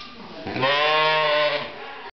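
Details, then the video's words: A brown sheep gives one drawn-out bleat lasting about a second, a steady, nasal, low-pitched tone with a slight waver, fading into quiet room background. "Bah ram ewe"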